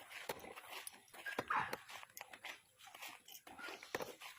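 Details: Dog in Thailand giving a brief, high, rising whine near the middle of the clip, set among clicks, rustling and nearby human voices.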